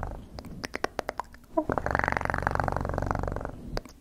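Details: Close-miked cat purring for ASMR, opening with a string of crisp clicks and taps before a continuous rapid, low vibrating purr takes over for nearly two seconds.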